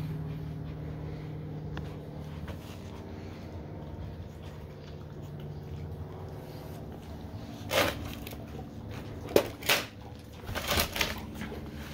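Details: A steady indoor fan-like hum carries on throughout, broken near the end by a few clattering knocks and rustles. No animal voice is heard.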